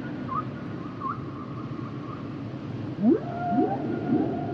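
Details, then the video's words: Song of humpback whales: a wavering high tonal line, then a burst of sharp rising upsweeps leading into a drawn-out whistle that falls slightly, over soft underwater hiss. "Sounds and Songs Of The Humpback Whales"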